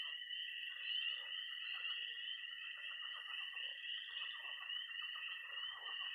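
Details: Night chorus of frogs and toads at a pond in early spring in Missouri: a dense, continuous high peeping band of tree frogs with a steady trill beneath, and scattered lower croaks pulsing throughout.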